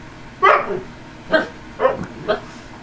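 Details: Husky talking back and forth with its owner: four short, loud, harmonic yowl-like vocalizations, each a brief rising-then-falling moan, spaced roughly half a second apart, with a quiet room behind.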